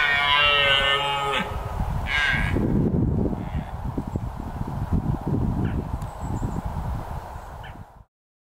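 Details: Rutting red deer stag, a male, ends a deep, harmonic roar after about a second and a half, then gives a run of rough, throaty grunting pulses for several seconds before falling silent.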